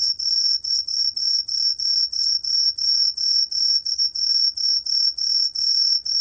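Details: Truljalia hibinonis tree cricket, 2020 recording: high, pure ringing chirps, about three per second in a steady pulsing series, with a faint lower tone beneath and no other sounds.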